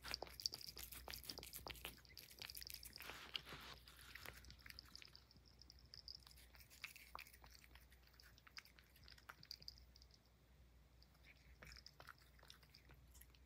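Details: Highland Lynx cat named Puff chewing banana peel indoors: a dense burst of sharp crunching bites over the first four seconds, then slower, scattered smacking chews and a quiet room hum.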